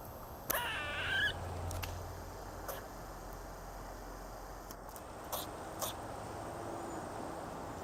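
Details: A squirrel lets out one brief, squeaky, rising call with layered overtones near the start. Isolated sharp clicks and taps follow over quiet background hiss.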